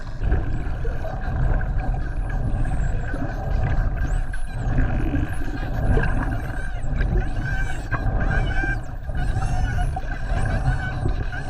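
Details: Spinner dolphins chattering underwater on a skin-diving dolphin swim at the Ogasawara Islands, 26 December 2020: many overlapping high, looping whistles and buzzy click bursts over heavy rumbling water noise.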